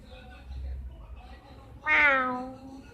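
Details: Two domestic cats together, one giving a single loud, rising then falling meow that swells suddenly and fades after about a second, preceded by soft background murmuring and low room hum.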